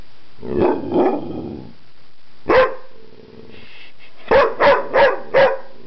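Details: Dog LuLu making odd communicative noises indoors: two soft grumbling woofs, a single sharp bark, a low hum, then four quick evenly spaced barks at the end.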